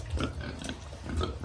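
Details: Piglet on a farm giving two short, rough grunting oinks about a second apart over a steady low hum.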